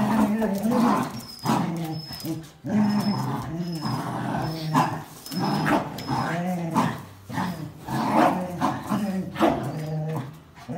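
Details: Jack Russell Terrier, black-and-white Border Collie and red-and-white Border Collie tussling over a towel in tug play; rough, rumbling growls come in uneven bursts, each pausing briefly, with human voices talking over them.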